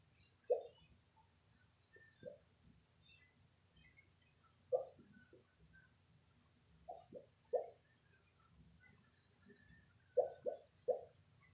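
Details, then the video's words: Abby, a pet Shih Tzu, barking in her sleep while dreaming: soft, muffled woofs in short bursts, some single and some in quick pairs, spaced irregularly a few seconds apart over a quiet background. "Abby the shih tzu barking in her sleep!"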